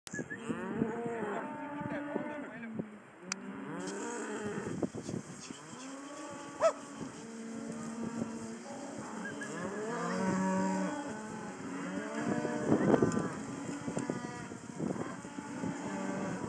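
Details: A group of 36 spring-born Hereford bull calves, still with their mothers, fills the air with overlapping moos and bawls. Many calves call at once in short, rising-and-falling cries, over a steady high hiss.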